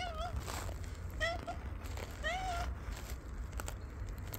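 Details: Domestic cat described as angry gives three short, bent meows in quick succession, the last one rising and sliding down, over a steady rumbling background noise indoors.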